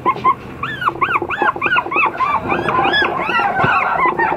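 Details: Apricot Toy Poodle puppy whimpering in a steady run of clear, arched, squeaky cries, each rising then dropping. They come about three per second over a soft rumbling background.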